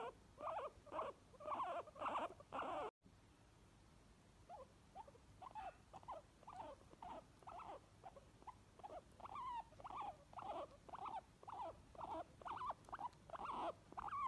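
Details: Two guinea pigs, a white one and another, give short, squeaky, whistled wheeks about twice a second, a happy sound.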